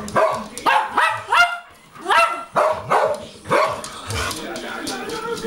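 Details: Two Schnauzers singing together in bass and soprano: repeated rising-then-falling howled yowls, about eight voiced notes in quick succession, overlapping tones with a higher and a lower voice, fading into softer murmuring at the end.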